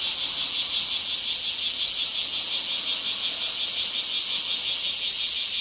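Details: Bear cicadas in full morning chorus nearby on 23 July 2018, a scorching midsummer day: dense, shrill, high buzzing pulsing steadily about three times a second, with the overlapping insects forming an unbroken metallic wall of sound.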